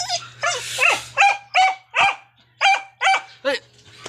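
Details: Pet dog said to 'talk', making a run of about eight short, tuneful, whine-like yowls, each bending up and down in pitch, spaced under half a second apart, with a faint steady hum underneath.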